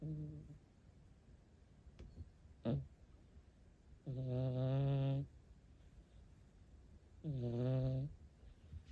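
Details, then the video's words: A sleeping rescued cat snores twice: long, buzzy, strongly harmonic snores about a second each, spaced roughly three seconds apart. A brief snort-like click comes earlier, over an otherwise quiet room. "猫のイビキ聞いたことある？【Have you ever heard of cat snoring】"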